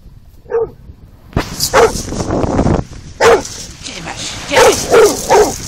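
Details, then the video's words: Bullmastiff barking at the sea: a few deep barks mixed with loud crashing surf, wind rumble and a person's voice urging the dog on. "Bullmastiff barking at the sea"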